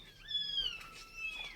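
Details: Cat in a storeroom where the mother has carried all her kittens upstairs: one high, thin mew that rises briefly and then slides slowly downward over about a second, in a quiet room.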